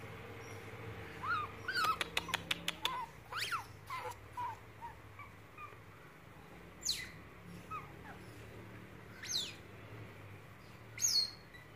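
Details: Pet otter, a rare white-tailed ringtail, makes a string of brief arched squeaks and a rapid burst of clicks. Scattered higher sweeping squeals follow over the next several seconds against a steady low hum.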